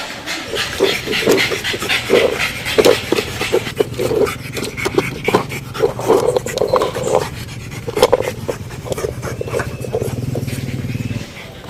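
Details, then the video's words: Pug dog panting and snorting in quick rhythmic bursts, breathy noisy pulses repeating several times a second for about eleven seconds, with a steady low hum beneath. "Sonido de PERRO PUG"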